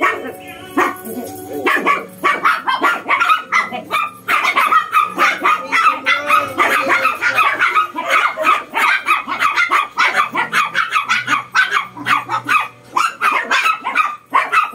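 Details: Shih Tzu confronting a Belgian dog, the smaller dog called little but brave; a dense, continuous stream of sharp, overlapping barks with some whining tones early on and faint background sound.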